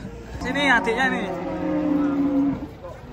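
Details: Giant cattle arriving and coming down from a truck in the morning; a steady, low, drawn-out moo lasts over a second, with human voices and handling noise at the start.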